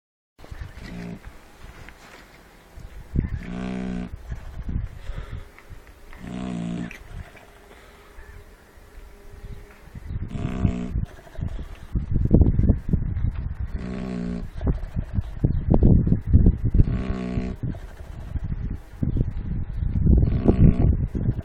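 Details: Shar Pei dog snoring while puppies feed; low, rough, harmonic snore-like bursts repeating roughly every one to two seconds, sparse at first, then louder and denser in the second half.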